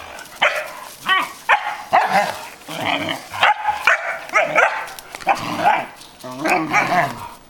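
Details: A 2.5-month-old male Belgian Malinois puppy, with a 14-year-old female Belgian Shepherd nearby, gives a quick run of high, yappy barks and yips, several per second, with music and applause sounds mixed in.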